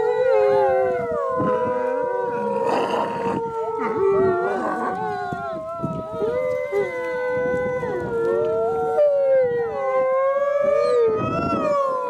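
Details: Several gray wolves at Wolf Park howl in chorus on a rainy Howl Night evening, long wavering overlapping tones answering people's howls, with higher coyote yips joining in and a person talking in the background.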